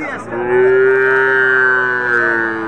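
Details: Drawn-out lowing from cattle at a sacrificial-animal market in Domar, Nilphamari, Bangladesh: a sustained, level moo that fades slowly toward the end, with quiet market murmur behind it.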